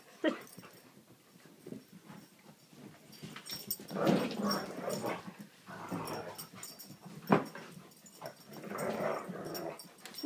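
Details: Siberian Huskies indoors, eager to be let outside, keep up rough, wavering woo-woo grumbles that rise and fall in several long bouts, in a small room with occasional human speech.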